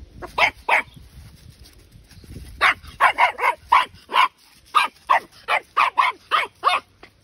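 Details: Patterdale Terrier puppy, twelve weeks old, giving a run of sharp high yapping barks in quick bursts, some doubled, about a dozen over several seconds, with a person's voice briefly between.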